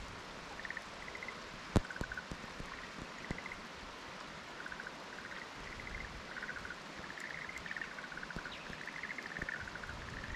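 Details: Black-spotted pond frogs calling in a fallow field at Kumakogen, 15 May 2022: faint, short pulsed croaking bursts repeat again and again and overlap like a small chorus, with scattered clicks and a soft background hiss.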